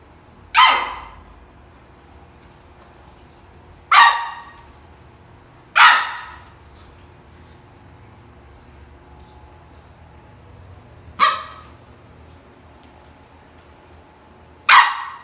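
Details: Angry Samoyed puppy barking: five short, sharp, high yappy barks, widely spaced at irregular gaps of about two to five seconds, over a quiet indoor background.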